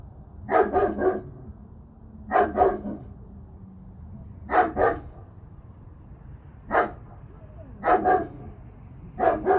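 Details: Ten-month-old German Shepherd in obedience training for recall and sit; barks in pairs and triplets, groups about every one to two seconds across the clip, over steady low background noise.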